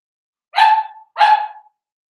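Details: Indoor pen of Daisy's Cavalier King Charles Spaniel puppies at seven weeks of age. Two clear, ringing yips in quick succession, each bright and harmonic and fading off at the end. The room is otherwise quiet.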